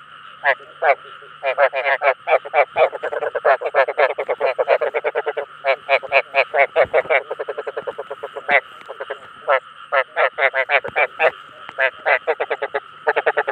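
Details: Rice field frog calls meant to attract others of its kind: rapid runs of short, harsh, pulsed croaks in quick bursts, with brief pauses between groups and a faint steady low hum underneath.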